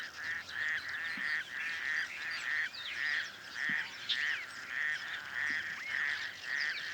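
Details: A male raucous toad hidden in reeds at a small dam near Cape calls to attract females during breeding, giving harsh, duck-like quacks about twice a second; this species breeds day or night.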